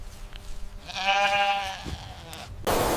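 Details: Medium gray savannah wild goat giving one drawn-out, nasal, harmonic bleat of about a second, followed by a sharp burst of broadband noise at the end.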